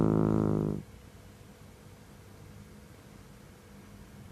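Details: Seven-month-old male Mameshiba (shiba inu) puppy Ohjiro, a shelter rescue born July 2017, snoring in deep sleep: one short, buzzy, richly layered snore under a second long, then near silence with faint room hum and a click at the end.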